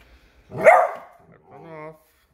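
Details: One loud, abrupt bark from a Beagle on alert over its new squeaky toy, followed by a person speaking.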